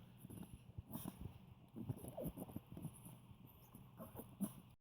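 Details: An old Poodle makes low, pig-like grunts and snuffles in short irregular bursts while eating something tasty.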